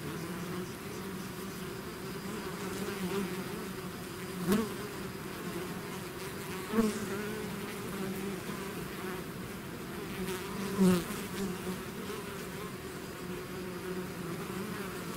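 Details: Continuous hum of a bee swarm out of its hive, steady layered buzzing broken by three sharp close passes of single bees, roughly two to four seconds apart.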